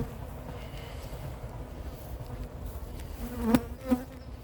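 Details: Western honey bees from a very large swarm being collected into a cardboard box at Varennes-sur-Seine, France, hum steadily in flight, with two loud buzzing swells as bees circle close, sizing up the beekeeper, not attacking.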